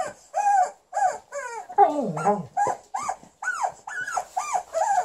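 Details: Female Alaskan Malamute angry at her new chicken toy: about ten short arched yelping barks in quick succession, with a lower drawn-out growling whine in the middle, and the toy squeaking high above each bark.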